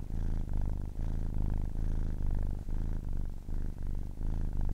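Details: A 10-week-old kitten purrs steadily, low throbbing rumble pulsing with each breath, roughly two cycles per second, faint breaks between in and out breaths, no other noise.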